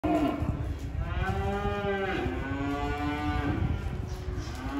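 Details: Cattle mooing: a long, drawn-out, tonal moo that rises and then sags, lasting about two and a half seconds, over a steady background hiss.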